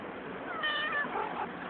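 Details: Angry and hungry cat giving a single drawn-out meow with a rising then falling tone, set against steady background hiss.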